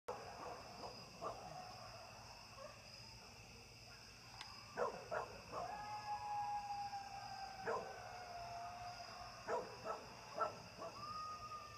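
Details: Coyotes at night on the eve of a Super Blood Moon lunar eclipse, heard at a distance: faint drawn-out howls with sliding pitch and scattered short yips, all over a steady background hiss.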